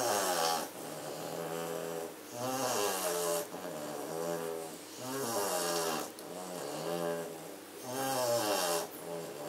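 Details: Sleeping Katelands German Shorthaired Pointer puppies, one called Blake, dozing indoors on 27 September 2016 after frenzied play. Deep, buzzing snores rise and fall in steady cycles roughly every three seconds, with soft hissing inhalations between.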